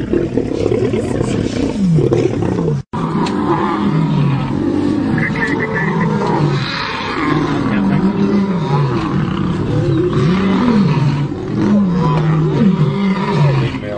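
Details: Lions fighting within a pride: continuous deep, rumbling growls and roars with wavering snarls rising and falling, several animals snarling at once throughout, with a brief silent break near the start.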